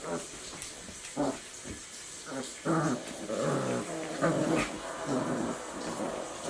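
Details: Four-week-old Eurasier puppies playing games during counter-conditioning to thunderstorm sounds: short, low growls and yips in uneven bursts, over a steady hiss of recorded thunderstorm noise.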